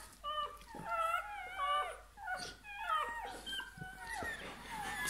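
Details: Newborn Bernese Mountain Dog puppy at birth crying with thin, high, squeaky wails that waver up and down in pitch, about six cries in five seconds, over a soft background hiss.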